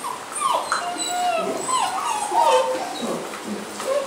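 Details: Basset Hound puppies at a kennel in Londrina, Brazil, whining together in thin, wavering high whimpers that slide up and down, several voices overlapping without pause.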